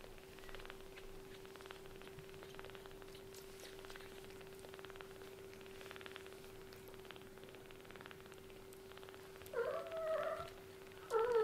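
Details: Young kittens whose eyes have just opened, indoors; after a quiet stretch of faint clicks, two short high meows come near the end, the last one cut off, over a steady low hum.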